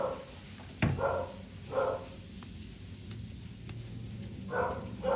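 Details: Poodle mix being groomed indoors: a sharp knock, then brief tonal yelps spread across the clip, closing with a quick pair, with light clicking between them.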